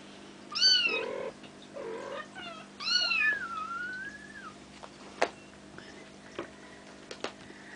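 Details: Bengal kittens nearly five weeks old, from Ariel and Dream, at play indoors; two loud, high kitten meows, the second a long wavering cry trailing downward, then sharp clicks and taps against a faint steady hum.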